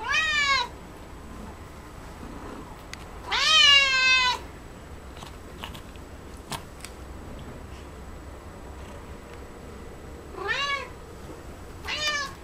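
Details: Coco, a house cat munching cat grass, lets out scattered meows, two strong drawn-out cries early on and two shorter ones near the end, separated by quiet stretches with small chewing clicks.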